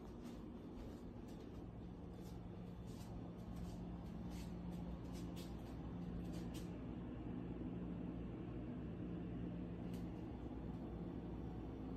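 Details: A steady low vehicle or engine hum fills the recording, with faint light clicks above it and no animal voice.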